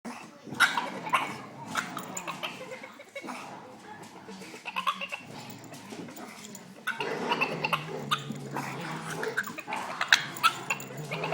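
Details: A Boston Terrier makes odd, strained whines and grumbling vocal noises out of frustration, going wild because he can't play with the other dogs.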